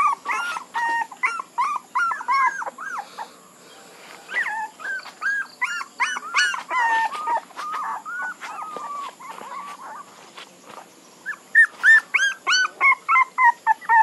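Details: A litter of puppies whimpering, runs of short high yips and drawn-out whines, dropping quieter midway before a final burst of sharp, evenly spaced squeals.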